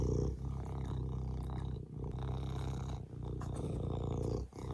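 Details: Low, throbbing serval purr heard at close range, strong bass tones sustained with brief dips around the second and fourth-and-a-half second.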